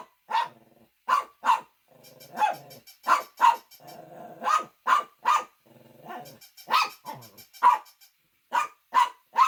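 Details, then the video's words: Loud domestic dog barks, short and sharp, arriving in uneven runs separated by brief stretches of low growly grumbling and softer whines. "Funny Dogs Barking to Make Your Dog Bark"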